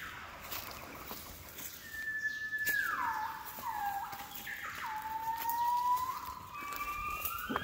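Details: Gibbon song in Cat Tien jungle, Vietnam, 16 January 2023: long pure whistles that drop in steps, then climb again in a rising glide toward the end, over quiet forest ambience.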